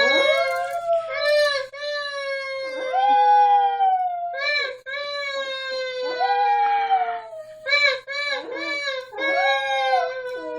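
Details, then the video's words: Dog howling along with a woman, long sustained tonal howls sliding slightly down in pitch, overlapping and repeated several times, with brief breaks and some breathy voice in between. "My mom and her dog howling !"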